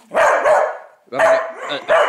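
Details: A dog urged to attack in play gives three loud, rough barks in quick succession, each bark a broad, harsh burst with a short gap between them.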